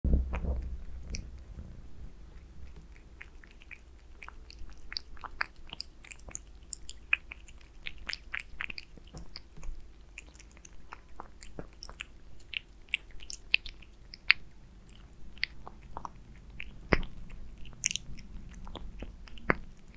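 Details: Aliska the cat eating beef-flavoured Friskies wet food indoors: a steady run of sharp, wet clicks and smacks from chewing and biting, densest in the first seconds, over a low constant room hum.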